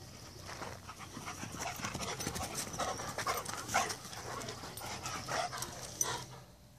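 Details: A Rottweiler pants hard in quick, breathy, rhythmic bursts, with a faint whimper or two, while two Rottweilers play a chase game.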